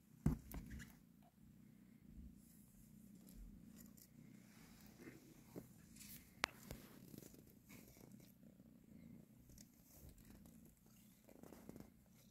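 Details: A mother cat purrs while nursing and caressing her kittens; a soft, steady low rumble runs throughout, quiet and even, with a few brief clicks and rustles near the start and middle.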